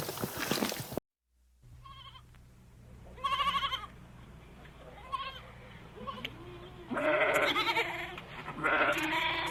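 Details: Domestic sheep bleating: a short burst of noise, a pause, then wavering harmonic bleats at about three seconds and a louder, longer pair of quavering bleats near the end over a low steady hum.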